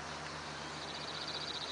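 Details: Cicadas at 8:40 am, 26°C, on 5 July 2013 fill the air with a dense, hissing high buzz, with a pulsing rasp rising near the end.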